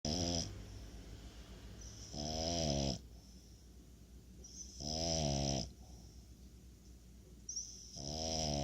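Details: French Bulldog named Appleboo snoring: harmonic, nasal rasping snores about one second long, three of them spaced roughly two and a half seconds apart, with a faint whistling hiss between breaths.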